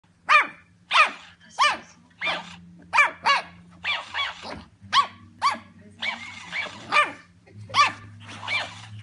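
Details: Pug barking with open hostility at a copycat imitating it: a rapid series of sharp, harmonic barks, about a dozen in nine seconds, some in quick pairs, over a steady low background hum of music.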